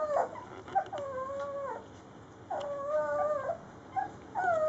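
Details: A three-week-old Rhodesian Ridgeback puppy of Layla's litter, eating with its littermates, gives long, wavering whines that dip and rise in pitch, each lasting about a second, separated by brief quiet gaps.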